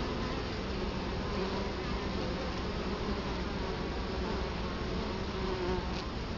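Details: Many Italian honey bees droning at a hive entrance, Colorado Springs, October 2011, camera right at the front of the hive; a thick, even hum with slight flickers of individual wingbeats passing close.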